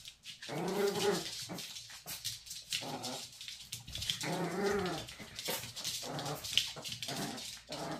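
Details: Maltese dogs, a mother teasing her son, trade rough, harmonic growling grumbles in two drawn-out, arching bursts about four seconds apart, with scuffling and rustling noise between them.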